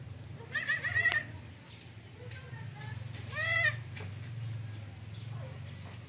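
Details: Two quavering bleats about two and a half seconds apart from a domestic goat described as unwilling to suckle. The second is shorter and more strongly wavering, with a faint low hum throughout.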